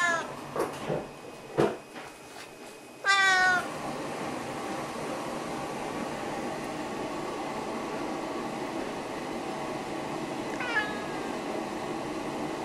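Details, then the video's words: Snowshoe cat from the pair Nevada and Noodles calling for attention, food or a walk: a few knocks and taps first, then one strong falling meow, and much later a faint short call over low room noise. "Snowshoe Cat Voices"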